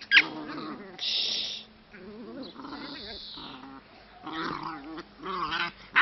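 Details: Dogo Argentino puppies, several young dogs giving harmonic whining and yelping cries with wavering pitch, short high squeals between, some low grumbling underneath.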